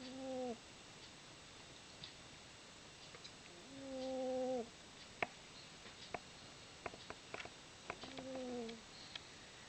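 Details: Izzie, a fat pet cat, snores while sleeping indoors: three steady, whistled, nasal tones, each just under a second long, come about every four seconds, with faint clicks and rustles between them.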